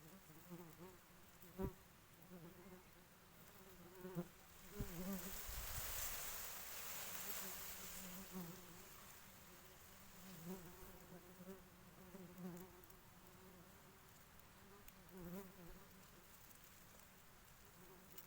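A honey bee queen gives a series of nasal, tooting pulses, each a steady buzzy tone, repeated roughly every second over a continuous low hum. A brief rush of noise interrupts midway.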